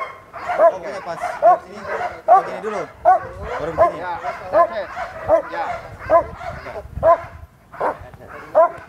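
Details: Vicious sport dog at Vom Almere Dog Training Centre facing a man who usually deals with Pitbulls. It gives repeated rough barks, about one each 0.8 seconds for nearly nine seconds, with a brief pause near the end and speech underneath.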